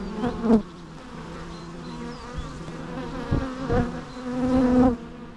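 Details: Bees buzzing in a natural setting, a low droning hum with layered tones that swells as insects fly close, loudest near the start and again toward the end; faint high bird chirps in the background.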